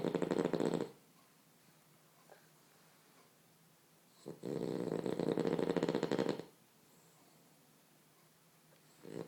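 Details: A French Bulldog snoring while asleep, cuddled in a blanket: long, rattling, buzzy breaths separated by quiet pauses of a few seconds.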